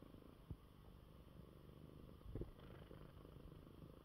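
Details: Coco the cat purrs in his bed after eating; a deep even rumble with two short knocks, one early and one near the middle.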